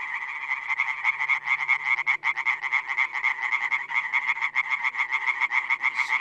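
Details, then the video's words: European tree frogs (Hyla arborea) calling as a chorus in the wild, many frogs in the background: dense rapid rasping pulses, several per second, overlapping into a continuous buzzy ringing with steady loudness throughout. "European tree frog (Hyla arborea) calling."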